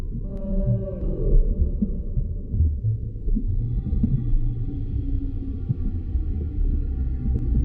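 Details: Underwater humpback whale song: a long, low groaning moan at the start, then sustained harmonic tones emerging midway, all set against heavy low-frequency ocean rumble.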